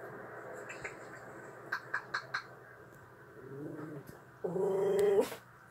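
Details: Seol, a female puppy watching a friend on TV whom she misses, indoors in a small room: a few soft taps, then a drawn-out nasal whimper holding steady for under a second before breaking off, with faint room hum beneath.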